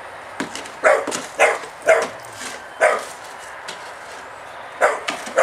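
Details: A Staffordshire Bull Terrier with a phobia of spades gives short, sharp fearful barks in irregular bursts at a spade.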